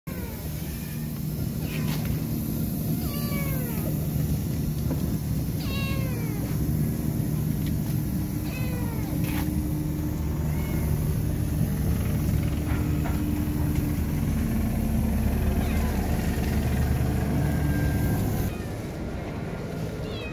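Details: Scared female kitten, left behind by her mother cat and refusing to be touched, mewing repeatedly: short, high, falling meows every two to three seconds over a steady low rumble of background noise.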